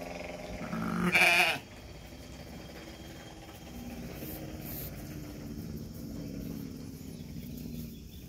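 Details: Bleat from Batur Merino sheep at the birth of two lambs: one short, fairly high, quavering cry lasting about half a second, then a low steady rural background hum with no further calls.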